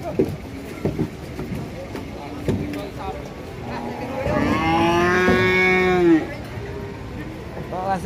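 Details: A sick cow, described as having collapsed soon after arrival, lets out a single long, strained moo lasting about two seconds, with a rich harmonic buzz. Scattered knocks and thuds come before it.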